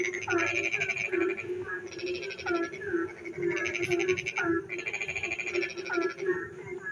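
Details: Rainy night with frogs singing in darkness: repeated rattling, pulsed bursts with short downward-sweeping notes between them, layered on a constant low hum of a wider chorus.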